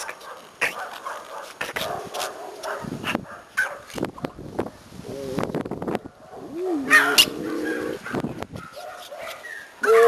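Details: Pomeranians, happy at their owner's return from vacation, greet her with excited high whines that rise and waver, mixed with sharp yips and short barks, scuffling and clicking in between, a burst of noise at the end.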